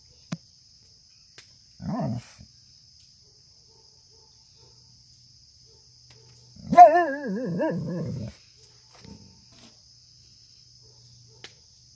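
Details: Newfoundland dog, a female, practising howling after hearing coyotes: a brief low grumble, then a quivering, wobbling howl lasting about a second and a half, in otherwise quiet surroundings with a faint steady high whine.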